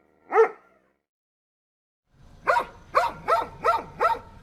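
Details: One dog gives a lone bark, then after a silence a run of five rising, yelping barks over a low background hum.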